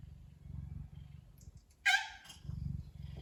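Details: Relaxed pet Ragdoll cat purring contentedly, a sign of pleasure: a soft, low, continuous rumbling purr, broken midway by a brief, louder mew-like vocal burst before the purring resumes.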